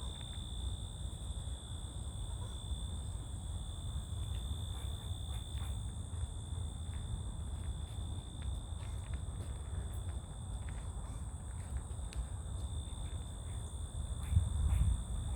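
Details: Outdoor crickets keep up a steady, unbroken high buzzing with a fainter second band higher up, over persistent low rumble and occasional faint clicks.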